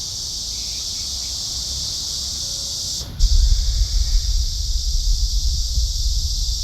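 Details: A cicada in summer gives a steady, high, hissing drone without a break, with low rumbling noise joining partway through.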